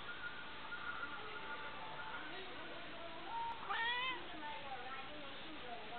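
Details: A pet cat named Ozzy gives a short rising-then-falling meow with clear harmonics around the middle of the clip, set against a steady background hum and faint murmur.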